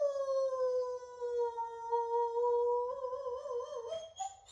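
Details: Female Noble Shepherd wolfdog, a grey wolf and German Shepherd hybrid, howling indoors: one long sustained tone, slowly falling then wavering and rising near the end, finishing with a short higher yelp.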